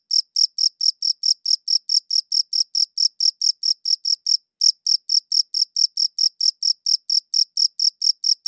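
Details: A cricket chirps in clean, high recordings made with a good audio recorder. Short, bright chirps come at a steady pace of about four per second, with one brief pause near the middle. No other sounds are heard.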